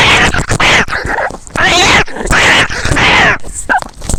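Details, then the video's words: Cats in a fight, heard from close up: harsh, loud screeching yowls in repeated bursts under half a second long, with abrupt pauses between them. "Experience a cat fight from a cat's perspective."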